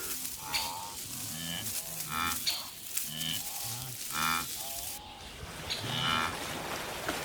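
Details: Wildebeest herd moving in an endless line across grassy slopes of the African savanna: short nasal, moaning grunts repeated roughly every second, stacked and buzzy, with thin high bird whistles and chirps scattered throughout.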